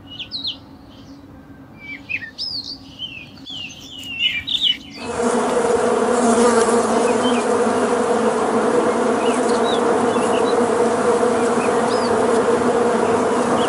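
A dense, loud drone of honey bees in a defensive swarm attack, after a few seconds of bird chirps.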